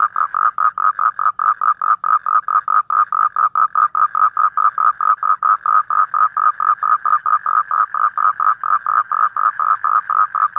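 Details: A toad calls in the evening in Vietnam: an unbroken, fast, even series of short, harsh mid-pitched pulses, with no other sounds.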